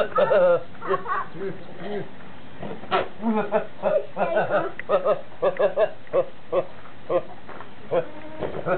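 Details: Horney, a goat that goes around laughing and sneezing all day, gives a quick run of short, throaty, laugh-like bleats, pulsing several times a second with one sharper burst midway, while people talk and laugh nearby.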